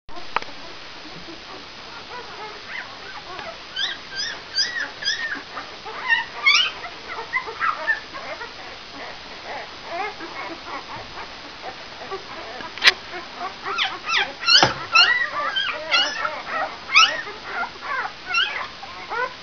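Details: Brown Labrador Retriever puppies of one litter, five days old, giving thin high squeaks and whimpers in irregular overlapping clusters over a steady hiss, with a single sharp click midway.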